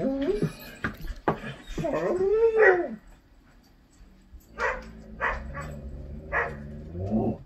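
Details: Irish setter Bo vocalizes while watching himself on TV, February 2021, in a film of him and his brother chasing in the snow: arching, harmonic howl-like whines around three seconds long, then shorter broken whimpers.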